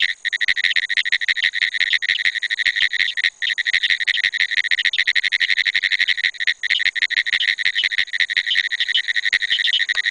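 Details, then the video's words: A calling Pine woods treefrog (Hyla femoralis) gives a rapid, dry, clicking rattle of pulses, like Morse code tapped without pause. "Calling Pine Woods Treefrog (Hyla femoralis)"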